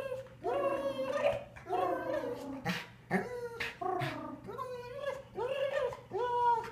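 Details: A female Golden Retriever with recently severed tendons "talks" to a friend in long, wavering howl-whines, each rising then falling, repeated about every second.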